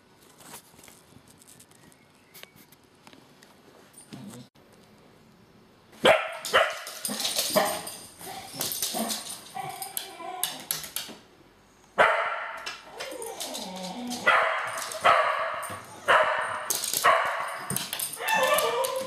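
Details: Two female cocker spaniels bark and whine in excited bursts after a quiet start, in their morning wait for her arrival, eager to go to the beach.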